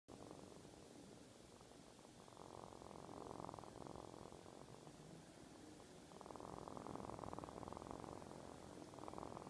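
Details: A pet cat purring indoors: a steady, low rumbling purr with rapid regular pulses. It swells louder from about two seconds in, eases briefly, then grows strong again in the latter half.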